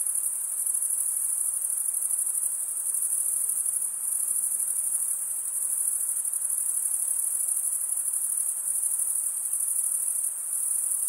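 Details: Steady, dense high trill of chirping crickets, males producing the sound by stridulation, a shrill pulsing buzz that barely wavers in loudness throughout, with no other sounds.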